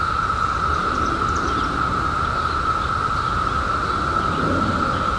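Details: Seventeen-year periodical cicadas emerging in 2021 hold a dense, continuous buzzing drone at a single level pitch, unchanging throughout, with a faint rushing background and a few distant high chirps.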